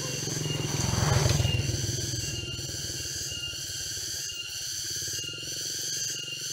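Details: Walking through a forest near Jatiarjo, Prigen, Pasuruan, East Java, on 23 October 2020: a cicada chorus holds steady, shrill, piercing high tones that barely waver, over a low pulsing rumble, likely footsteps or distant machinery.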